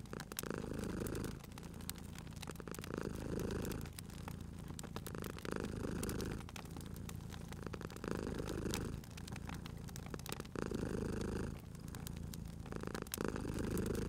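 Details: Sleepy cat purring by a cozy crackling fire, a steady low rumble breaking into phases roughly every two seconds, accompanied by constant snapping of burning wood.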